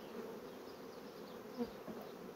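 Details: Honey bee colonies drawing foundation into comb fast, heard as a steady low-mid buzzing hum, interrupted by one short knock or thump about two-thirds through.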